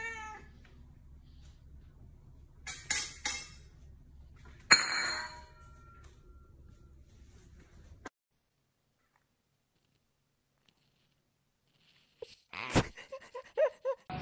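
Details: Domestic cat indoors giving a few short harmonic meows, spaced apart and separated by a long silence, with a low background hum and brief clatter.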